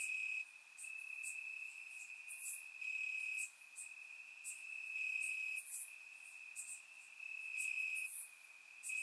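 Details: Warm summer night in Bulgaria with crickets in the grass, surround-recorded; one unbroken shrill trill holds a steady pitch while faint higher chirps pop up about every three seconds.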